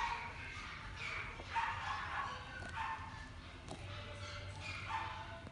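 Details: Male yellow Labrador Retriever puppy born 1 October 2016 at a pet shop, giving short, rough, broad barks about once a second over a steady low hum and faint indoor background noise.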